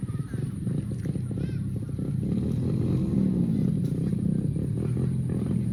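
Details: Cow mooing: a long, low, droning moo swells up and then sinks back down over a couple of seconds, half-buried in a steady rumble of engine noise and faint voices.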